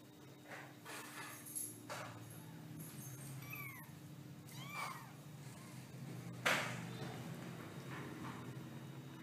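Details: Kitten meows, several short rising-then-falling mewing calls scattered through the recording over a low steady hum and faint background rustling.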